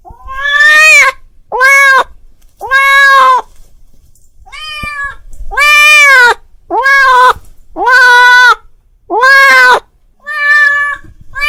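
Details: Domestic cat calling his friend: a run of loud, drawn-out meows, about ten in eleven seconds, each harmonically rich and arched in pitch, some rising then falling, with short silent gaps between and no other clear sounds.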